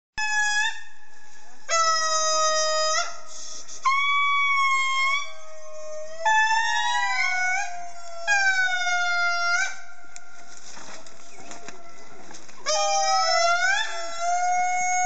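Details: Indri (Indri indri), song.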